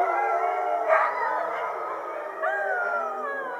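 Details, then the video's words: Husky pack of about 50 dogs sings after a meal in full-moon glow in winter; dense overlapping howls, a sharper yelp-like burst near one second and a rising howl joining after two seconds. "Husky song"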